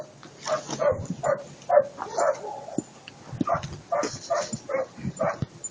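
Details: German Shepherd dog barking in a quick, uneven series of short, sharp barks, roughly two per second, with a few brief pauses and faint background noise between them.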